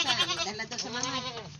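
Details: A pet goat, described as naughty, gives a wavering, trembling bleat that rises and falls, with people talking nearby.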